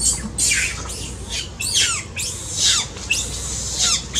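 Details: Loud, distressed crying from a baby monkey that needs its mother's care, with the mother described as extremely angry: a steady series of shrill screams, each sweeping sharply downward, repeated about every half second with hardly a pause.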